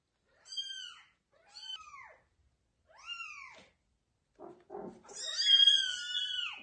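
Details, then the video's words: Kitten being carried by its mother cat to a new place, giving three short, arched, falling meows, then a brief rustle and a longer, louder, strained meow. "Mother cat carries loudly meowing kittens to a new place"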